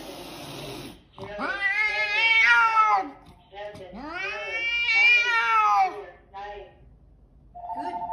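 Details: Fat tabby cat fighting off a mountain lion: two long, rising-then-falling, strained yowls, each about two seconds long, then a short higher tonal sound at the end.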